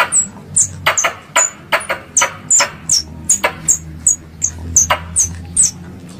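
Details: Squirrel sound from Indonesia used to lure squirrels for hunting. A fast series of piercing, falling chirps runs at an uneven pace alongside clicking knocks and a steady low hum.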